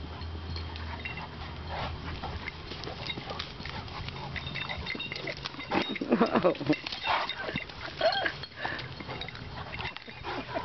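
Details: English Mastiff Dozer and Boxer Bo playing together at a dog park: quieter start, then a loud burst of rough growls and snorting grunts in the second half, with some human talk in the background.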